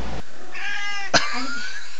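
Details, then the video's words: Fredrika, a talkative pet cat said to talk a lot all the time, indoors beside a dog on the bed: a drawn-out, harmonic-rich meow lasting about half a second, broken by a sharp click, over a steady low hum. "Cat Talks!"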